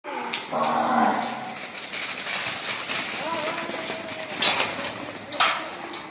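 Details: Gir calves at an ISKCON goshala in Talasari, Maharashtra. One gives a drawn-out low moo of about a second, followed by softer lowing, over a steady hiss of background noise.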